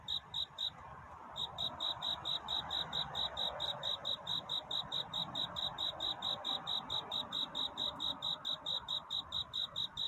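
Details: Nighttime courtship song of a cricket, its chirps a love song rather than crying: brief pause at the start, then a long regular series of high, pulsed chirps roughly twice a second, soft background noise beneath.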